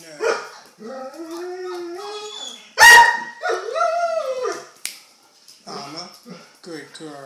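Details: Doberman Pinscher puppies, red rust, 28 days old, some following their owner; high tonal whines and whimpers, one rising then falling, with a brief loud squeal and a short burst of chatter near the end.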